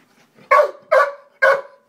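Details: American Bulldog named Schepp reacting to a neighbourhood cat, Puffy, who is after a bird in the holly bushes: three loud, harsh barks about half a second apart, strong and clear against a quiet background.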